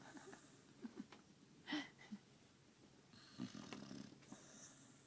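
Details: Sammie, a pet dog, snoring in sleep after a hard day of walking and eating; soft irregular raspy snorts and breathy bursts, with a sharper hissing breath near the two-second mark and another cluster toward the end.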